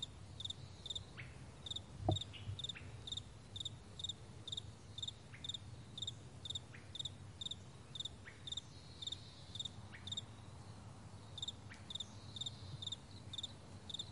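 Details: On a vast meadow one May 2020 morning, crickets keep up a steady, rapid series of high pulsed chirps, roughly two per second, against a quiet low hum, with one brief knock near the start.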